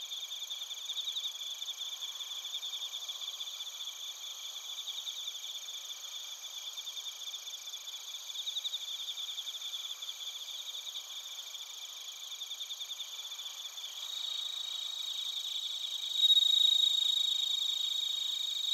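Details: Bell crickets alongside other crickets singing in Narita, Chiba Prefecture, Japan, TASCAM Portacapture X8 recording; sustained high, bell-like trilling with rapid regular pulses, and a sharper, louder ringing note entering near the end.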